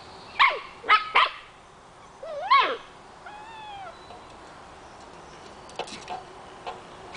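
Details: Scottish Terrier puppies, nine weeks old, chasing a rolling treat ball for kibble: three quick high yips, then a rising-and-falling whiny yelp and a thin wavering whine, followed by soft knocks and taps of play.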